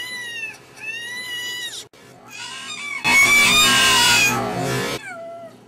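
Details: Domestic cat meowing, one of many cats and kittens in a compilation: two drawn-out meows open the clip, then a loud harsh noisy burst lasts about two seconds before a final short falling meow.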